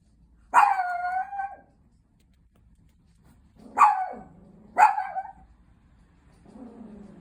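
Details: Pet Chihuahua threatening the person next to it: three drawn-out, ringing barks, the first long and wavering, the next two sharper and close together after a pause, ending in a low, quiet growl.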